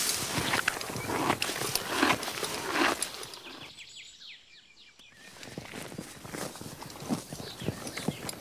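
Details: Horse grazing on grass: crisp tearing and crunching bites in quick irregular bursts, with a brief quieter pause midway before the steady chewing and ripping resumes.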